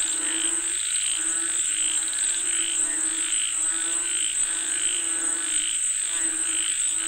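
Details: Chorus of frogs calling for rain, low buzzy croaks swelling and fading in overlapping bursts about once a second, backed by rhythmic mid-pitched pulses and a constant shrill insect drone.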